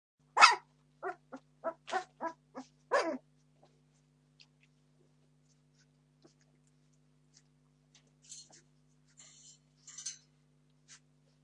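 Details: Entlebucher Mountain Dog puppies, 17 days old, from a litter born 26 September 2015, demanding food: about seven sharp, broadband yelps in quick succession over three seconds, then faint squeaks and soft rustling over a low steady hum.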